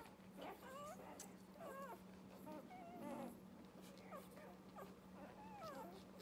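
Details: Irish Red and White Setter puppies from a litter of nine, four females and five males, whimpering and squeaking; many thin rising and falling whines overlap in quick succession over a steady low hum.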